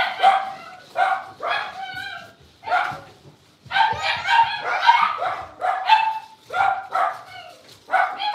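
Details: Blenheim Cavalier King Charles Spaniel puppies, five littermates born at New Year, play in their pen with bursts of shrill yips and barks in quick clusters, each group separated by a short lull.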